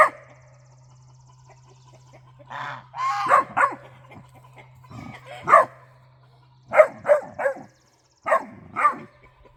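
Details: A Great Dane puppy lets out a string of harmonic, yodelling barks and yips, scolding the guard geese after the owner suspects a raccoon is raiding the bird feeder.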